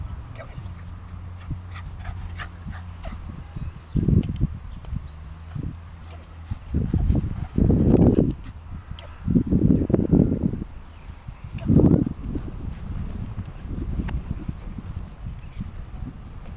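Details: Young tricolor Shetland Sheepdog puppy with an injured hind leg, playing on a flat field in March 2011: several deep, harsh barks, some doubled, spread over the last ten seconds, with a steady hum and light wind.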